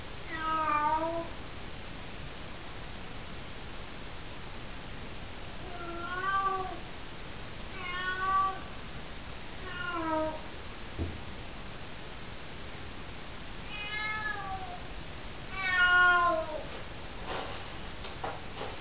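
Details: Cocoa, a 4-month-old calico kitten, meowing at night in a bathroom, said to sound like "hello"; about six harmonic, slightly rising-then-falling meows spread across the stretch, some double, over steady room hiss with a few faint clicks near the end.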